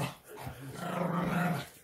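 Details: Pet dog growling in jealousy while another animal gets attention: a low, steady rumbling growl that swells for about a second and then fades, with no other sounds.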